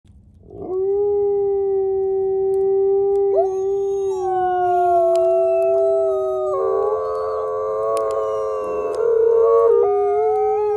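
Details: Captive-born gray wolves Zephyr, Alawa and Nikai at the Wolf Conservation Center in South Salem, NY howl together; quiet-voiced Zephyr leads with long steady tones joined by higher voices in a swelling chorus.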